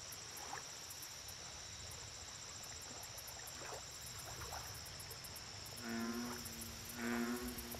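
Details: Lakeside night ambience dominated by a steady high insect buzz and ticking, until an American bullfrog breaks in near the end with two deep, booming croaks about a second apart.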